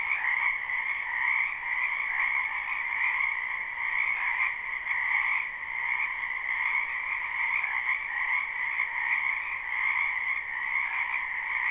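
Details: Springtime wetland frogs in full chorus, captured live: countless overlapping croaks merge into a continuous buzzing trill with a lower and a higher layer, pulsing softly about once a second, with no other sounds.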